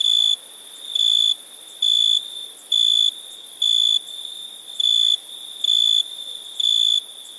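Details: At night, crickets repeat bright high trills about once a second, eight bursts in seven seconds, in a nearly regular rhythm above a steady, thin background drone.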